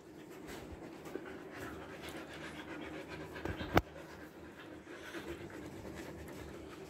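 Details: Siberian Husky Bittu, trimmed for the Indian summer in Kolkata, panting steadily indoors: continuous soft breathy puffs, one sharp click near the middle, low electrical hum underneath.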